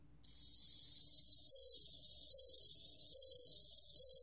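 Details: Bell cricket song from a 2020 National Institute of Biological Resources recording: a steady, pure high-pitched ringing tone that fades in, then swells into louder accented pulses about every 0.8 seconds, with a faint upper overtone and no other sounds.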